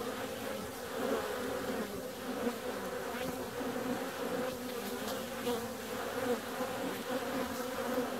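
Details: On a warm February day, bees flying out produce a continuous low humming buzz with a brighter overtone, level and unbroken, with faint intermittent ticking behind it.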